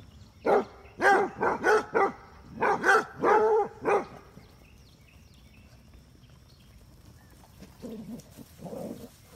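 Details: Playful chase among Basset Hounds, females pursuing a male: a burst of about eight loud, ringing barks in the first four seconds, then quiet, then two softer barks near the end.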